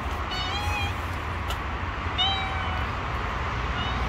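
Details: Stray kittens living on the street, wary of a person and keeping their distance, give three high, thin mews: two drawn-out calls about half a second each, then a shorter one, over a constant low rumble of background noise.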